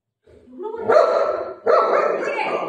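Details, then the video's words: Buzo, a golden retriever playing with his mum, gives two drawn-out, harmonic, bark-like calls, the second held longer, as if telling her an aunty has arrived and to open the door. "Buzo Mummy ko bol raha hai aunty aa gayi darvaja kholo | cute golden retriever dog playing with mom"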